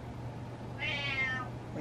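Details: A male domestic cat named Butters meows to get his way: one sustained, richly harmonic meow lasting under a second, gently falling in pitch, above a steady low hum.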